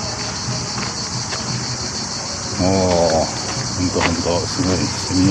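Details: Many cicadas, possibly a kind like Japan's Aburazemi, sing together in a steady, high-pitched hiss in hot summer sun in Retiro Park, Madrid, on 30 July 2023, with a man talking over it.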